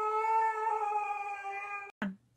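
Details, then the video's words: Siberian Husky giving a steady, drawn-out tonal howl for almost two seconds, richly layered and even in pitch, cut off abruptly and followed by a short rough yelp that drops away. "Husky 🐕 Hilarity: Cutest Dog Reactions"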